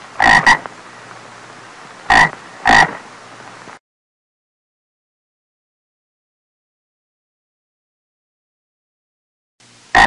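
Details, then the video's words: Frog giving three quick rasping croaks, a double one then two singles, before several seconds of total silence and one last croak at the very end. "Tiếng kêu và hình anh của con ếch kêu ộp ộp"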